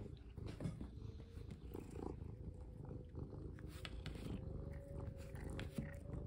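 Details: Domestic cat purring indoors during a play session, around the time it is fitted with a collar. A steady, low, rumbling purr runs throughout, with a faint constant hum and occasional soft clicks and rustles of handling.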